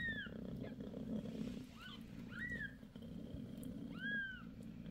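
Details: Indoors with mother cat Bassy six days after birth, a low continuous purr carries a few short curved mews from her five newborn kittens, spaced about a second apart.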